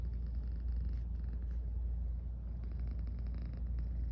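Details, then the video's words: Garfy, a sleepy female pet cat, purrs while yawning, recorded up close: a steady low rumbling purr with faint breathy pulses recurring about once a second, no other sounds. "SLEEPY & PURR: Garfy keeps yawning & purring"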